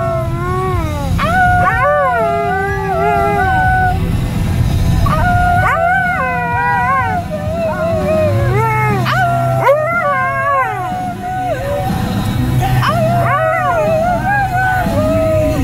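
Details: A Siberian Husky howls along to "Born in the USA", its voice rising and wavering in long drawn-out notes.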